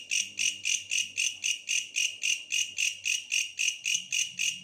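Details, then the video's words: Rhythmic buzzy chirps from a bush cricket, each pulse swelling then fading, repeated roughly four times a second in a bright, high, jingling tone, with a soft low hum in the background. "suara asli bellalang pohon"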